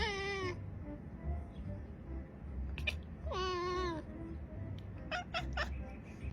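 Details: Domestic cat giving drawn-out, nasal meows that dip and rise, two long cries followed by a few brief chirpy calls, over quiet background music and a low hum.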